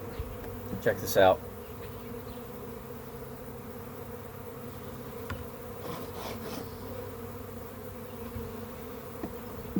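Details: Backyard honey bee swarm being added to a hive as frames are removed: even, low buzzing drone, broken early by a sharp clatter and later by light knocks.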